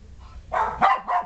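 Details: Shetland Sheepdog household with three playful 3-week-old puppies in a whelping box; three quick, bright yipping barks rising in loudness, the second the strongest, above a faint low hum.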